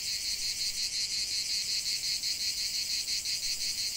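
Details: Chorus of cicadas in a natural setting, a shrill, sizzling drone rising and falling in quick regular pulses, about three per second, with no other sounds.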